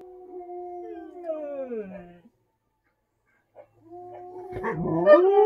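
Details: A Samoyed, singing along with a Husky to sounds on the TV, howls in a long, steady tone that sags downward, then starts up again after a pause.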